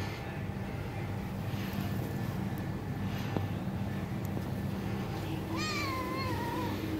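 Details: Bengal cat meowing for its mother's touch: one drawn-out, wavering meow near the end, rising then gently falling, over a steady low indoor hum.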